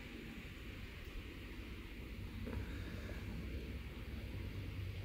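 Low, steady rumbling noise with soft irregular knocks and no clear animal voice.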